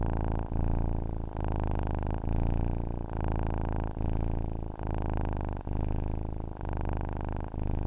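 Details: Rhythmic cat purring, a low buzzing rumble in phrases just under a second long, each separated by a slight breathing pause, with a steady and relaxed pace.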